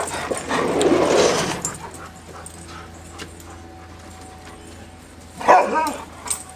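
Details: Hounds let loose and playing together: a rough, noisy growling burst early on, then quiet with a steady low hum, and a short sharp bark-like yelp near the end.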